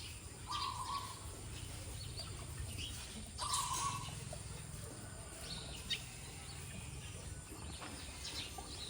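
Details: Elephant calf named Nano, hungry for milk, gives two short, steady, flat squeaks, each under a second long, one near the start and one about three seconds later, over a constant background hiss.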